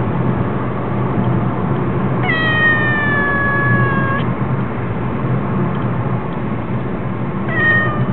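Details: A cat cries with one long, level meow lasting about two seconds, then starts a second meow near the end, against a constant deep rumbling hum.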